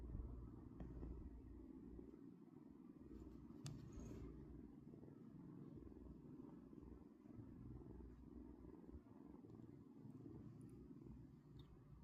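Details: Sleeping cat purring: a steady, low, rough rumble runs unbroken throughout, with a few faint soft clicks and no other clear sounds.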